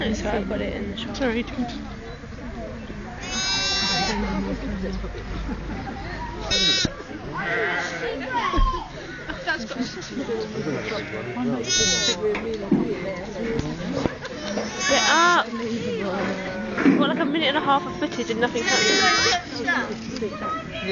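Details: Repeated sheep bleats beside new-born twin lambs just after birth. Five wavering, high cries break through ongoing human speech over about twenty seconds.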